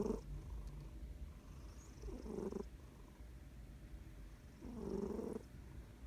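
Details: Female cat sleeping hard and snoring loudly indoors, three rough, low rasping breaths, one at the start, one near two seconds and one near five seconds, over a faint steady background hum.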